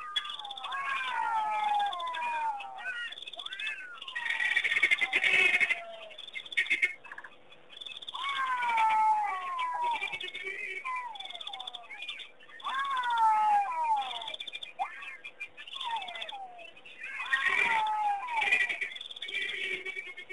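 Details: Jackals singing in a distant chorus at Pete's Pond, Mashatu Game Reserve, Botswana, on June 6, 2009: overlapping, wavering wails that slide downward, rising and fading in several waves with yips between them.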